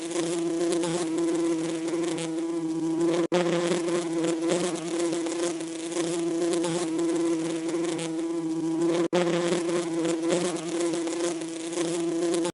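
A steady, droning bee buzz with a rich, reedy hum that barely wavers.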